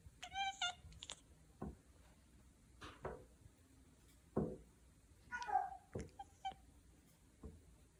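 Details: House cat chattering at spotted prey: a quick run of stacked harmonic chirps at the start, then soft clicks and a second wavering chirp, all indoors with low background hum.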